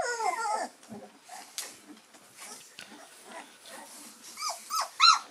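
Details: Labrador Retriever puppies, three weeks old, give thin falling whines at first, then a quiet stretch of faint rustling, before a few louder rising-and-falling squeaks return at the close.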